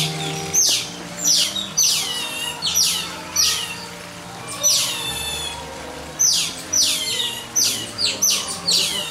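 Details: A captive Asian small-clawed otter (Aonyx cinereus) at Chiba Zoological Park, Japan, calls with shrill, bird-like downward-sweeping chirps, repeated every half second to a second in bursts over a low hum.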